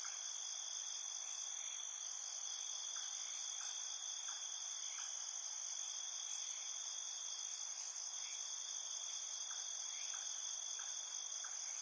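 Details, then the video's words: In a field, crickets trill steadily in several high, ringing bands, with softer chirps pulsing faintly underneath. "What crickets sound like"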